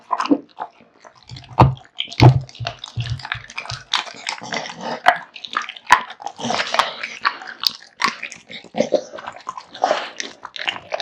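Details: A male American Bully called Kotetsu eats a big raw meat and bone meal: a few dull thuds early on, then continuous moist chewing, licking and softer crunches.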